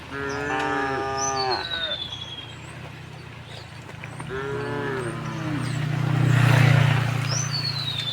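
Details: Two short moos a few seconds apart from tame cows herded along a quiet village road to the pen in the afternoon; a low rumble swells near the end and high bird whistles sound.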